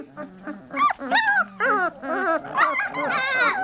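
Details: Three-week-old Lab puppies squeal and yip in quick, uneven bursts, several pups calling over one another with high wavering cries, mixed with a woman's talking.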